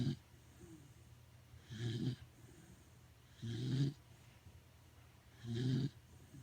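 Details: Pet Corgi sleeping soundly at home, snoring loudly: deep, rasping low snores in three long bursts about every two seconds, with quiet breathing gaps between.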